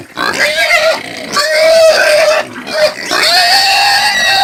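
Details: Caipira (Brazilian country) pig squealing: long, loud, shrill tonal squeals with a strong harmonic ring, sliding slightly up and down, in three sustained bursts separated by brief dips.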